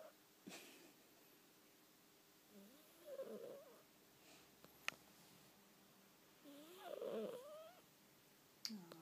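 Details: Sleeping female house cat producing odd noises: two quavering, warbling moans several seconds apart, with faint clicks and brief sharp ticks in the quiet room.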